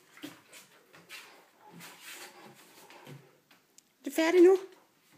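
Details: Great Dane barking indoors in a small room, playful, having just torn up a box; soft Danish talk first, then a single loud, tonal bark with strong harmonics near the end.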